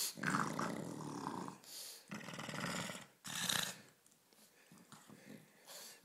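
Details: Playful pug Ulisse gives strong rasping growls in bursts of about a second, separated by short pauses, then softer snuffling breaths.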